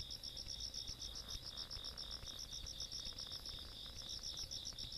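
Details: Insects calling on a countryside night on 17 August 2022: a steady band of rapid pulsed chirps around two high pitches, repeating several times a second, with a faint low rumble beneath.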